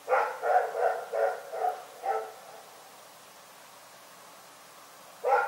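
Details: Night barking from Rex the dog: a rapid string of six sharp barks, a pause of about three seconds, then another bark begins.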